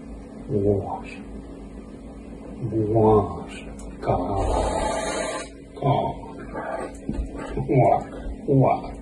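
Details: A caracal hisses at its owner, a long breathy hiss among short, rising, throaty growling yowls.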